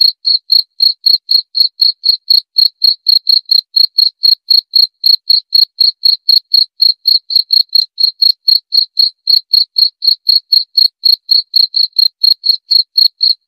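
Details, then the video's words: Steady, evenly spaced chirps from a cricket, about four per second, each a short bright high note repeated like a metronome over quiet background. "Suara Jangkrik"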